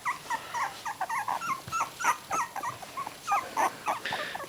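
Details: A litter of miniature dachshund puppies at three weeks old, eyes just open, squeak in quick, uneven bursts of thin rising and falling yips, several per second, overlapping as multiple pups call together over quiet background.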